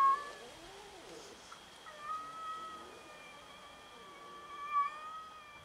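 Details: Home kitten at odds with yard cats, giving long faint level meows with stacked harmonics over a noisy background, a louder short cry at the start and a brief rise near the end.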